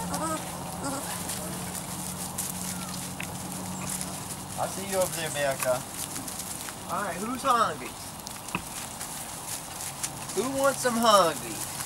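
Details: Litter of Weimaraner and Weimaraner x Vizsla puppies, 3-4 weeks old, from Biscuit's litter: bursts of whining, wavering harmonic cries that rise and fall, in three groups spread over the recording, with faint background rustling.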